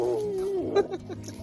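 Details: Maisy, a rescue dog who spent nearly three years forgotten in a crate, gives her joyful "woo" while talking to the woman who rescued her: a smooth, tonal voice gliding slowly downward for over half a second, then a short, brighter note.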